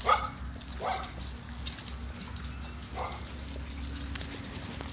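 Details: Labrador Retriever puppies from Summer's litter, a little wet after a misty day, give three short rising whimpers with bright overtones near the start and after a pause, over a steady background hiss and faint hum.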